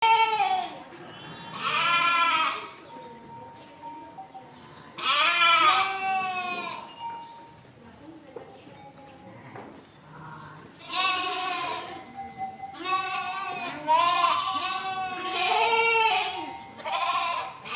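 A flock of sheep bleating, with wavering, nasal baas from several animals overlapping in bursts.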